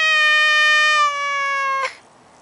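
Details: Male Maine Coon cat not wanting to leave his favourite garden bush: a long, level meow, already under way, that sags slightly in pitch and volume before stopping with a short burst of noise.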